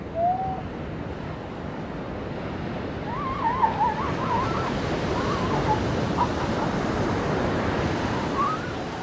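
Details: Seal pups on a beach: a short plaintive note opens, then a run of wavering, quavering cries in the middle and a rising wail near the end, all half-buried under steady crashing surf and wind.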